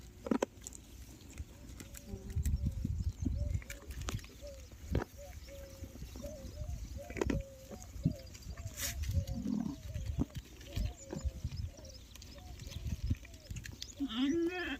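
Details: Lambs on a farm, hand-fed because their milk is not enough, give a steady run of short nasal bleats repeated many times over several seconds. A low rumbling and a man's voice are heard in the background.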